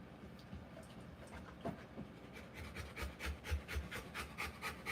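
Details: Rottweiler in labour with her puppies: quiet rustling at first, then rapid breathy panting sets in halfway through, uneven and gradually louder, short huffs bunched together.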